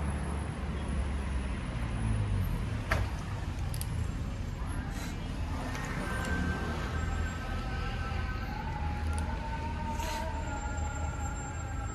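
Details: Steady road traffic rumble and engine hum fill the recording, with no animal voice standing out.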